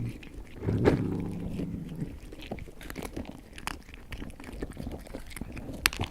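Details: Cat eating indoors: wet crunches and biting clicks in an uneven run, a louder burst near the start, over a steady low hum.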